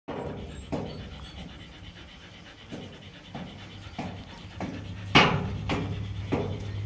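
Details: Kanni puppies born 10 September 2022, offered near Krishnapuram, Rajapalayam; a dog pants in soft, uneven breathy bursts about twice a second, with a low steady hum underneath and one sharp click near the end.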